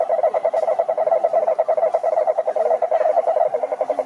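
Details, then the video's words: Toad croaks come as a dense, slightly uneven rattle of rapid pulses, with faint lower gliding calls from other callers in the background. "Som do Sapo Coaxando"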